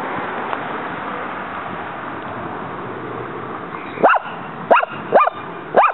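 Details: A female dog named Muñeca attacks a praying mantis in her yard as the bug fights back. A stretch of steady background noise gives way to four quick, high, upward-sweeping yips near the end.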